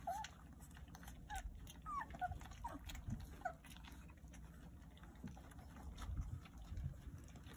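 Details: Jindo puppies, a litter of nine with teeth newly grown, suckling at their mother; a few thin, bending squeaks cluster in the first seconds, then quieter rustling and low shuffling noise.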